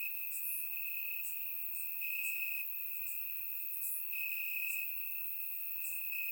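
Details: Crickets chirping in grass on a warm summer night in Bulgaria, captured with a surround microphone: a steady high trilling band runs throughout, with brief bright pulses above it recurring every second or so.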